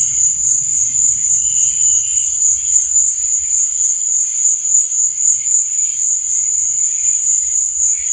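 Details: Crickets at night: a dense, unbroken high-pitched trill holds steady throughout, with softer, lower chirping patches drifting in and out beneath it and a faint low rumble early on.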